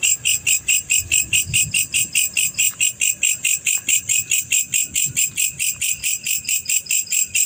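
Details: Steady high chirping from a male black cricket, sharp metallic pulses repeating evenly about 140 times a minute over quiet low background noise.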